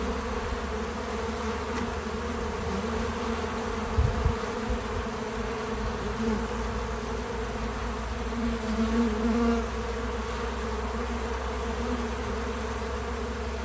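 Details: Pollinating bees at an outdoor farm feeder hum in a deep, even drone, with brief louder buzzes around the fourth and ninth seconds as individuals fly close.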